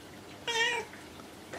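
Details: Indoor pet cat, good at answering when spoken to, gives one clear, bright meow in reply while a woman coaxes it in Japanese to come down and eat.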